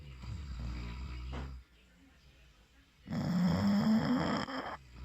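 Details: English Bulldog Valentino snoring while asleep: a low rumbling breath, a pause, then a louder, longer rattling snore with a wavering buzzy tone.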